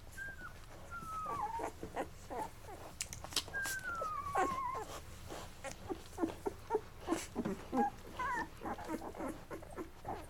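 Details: Eleven-day-old Labrador Retriever puppies from Mocha's litter, indoors, eating until full before crawling off to sleep; thin descending whines and squeaks rise over soft clicking and shuffling, with pauses between the cries.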